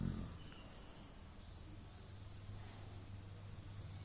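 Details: Beagle snoring during an afternoon siesta; a low droning rumble holding one steady deep pitch for several seconds, with soft breathy noise above and a brief louder onset at the start.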